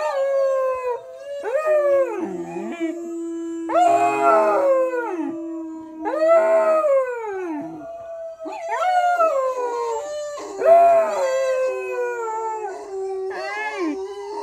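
A Cocker Spaniel gives a run of drawn-out howls, each swooping up, holding a steady tone, then falling away. The notes come every few seconds, some breaking into higher yips and quavers.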